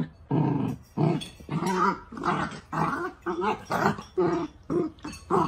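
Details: Miniature dachshund at play growling in a steady run of short, rough bursts, roughly two per second, with growly rumbles rising and falling between brief pauses.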